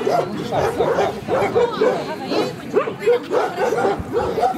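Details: Central Asian Shepherd Dogs at a club breed show in Kyiv (Krasylivka), Ukraine, 28 September 2019; a run of about eight quick, hoarse barks in under five seconds, with people talking nearby.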